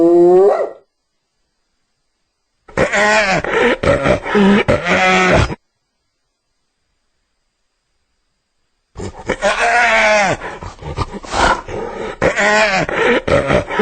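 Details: Hyena calling in several separate bursts: a short wavering cry, then two runs of rapid, stuttering, harmonic giggle-like notes with quick rises and falls, divided by silent gaps.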